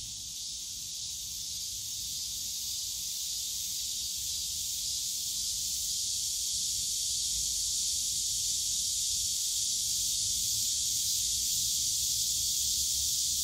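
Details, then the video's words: Cicadas in the Yongsan Family Park bamboo forest on a summer day, an intense, even, high-pitched drone that grows slightly louder, faint low background hum. "용산가족공원 대나무숲 매미소리"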